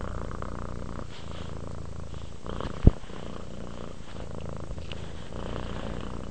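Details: Soft, even purring of a cat relaxing toward sleep, a low buzzing drone with gentle breath cycles and one sharp click just before the three-second mark.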